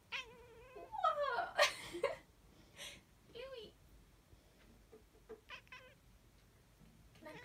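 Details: Louis, a Siamese cat who likes to sing and talk, makes drawn-out, bending meows, first a loud run sliding up and down in pitch, then shorter chirpy mews, with a person talking between the calls.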